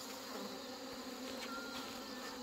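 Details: A continuous, thick hum from crowds of honey bees as weakened colonies, damaged by hornets or left queenless by failed mating, are joined together on a Chuseok morning; a brief thin whine rises over the drone.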